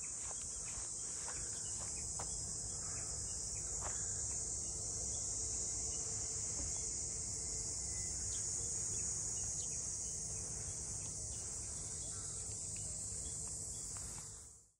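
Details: Continuous high-pitched buzzing of cicadas in the harbour district of Ine, north of Kyoto, Japan, among its old two-storey port houses; the shrill drone holds steady, with faint taps and low background hum, fading at the end.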